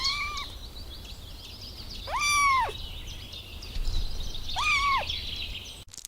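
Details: Kittens stalking and chasing butterflies on the grass give three drawn-out, arching meows, each rising then falling, spaced a couple of seconds apart over a steady outdoor hiss.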